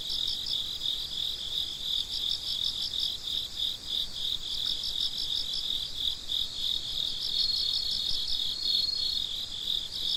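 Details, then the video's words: Crickets at midnight, a ten-minute night recording: a dense chorus of high, pulsing chirps layered in two bands, steady throughout with a faint thin whistle-like tone near the end. "Gece Cırcır Böceklerinin Sesi - Huzur Veren Sesler - The Sound of Crickets"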